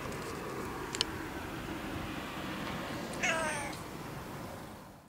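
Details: Domestic cat, one of several cats filmed on 16 November 2015, gives a single clear meow with falling harmonics about three seconds in, after a couple of faint clicks over a quiet room hiss.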